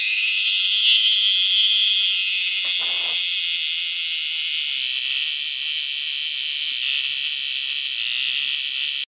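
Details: A Borneo cicada's buzzing fills the air as an unbroken, shrill, alarm-like drone, bright and high with a faint pulsing texture. A brief low rustle sounds once near the start.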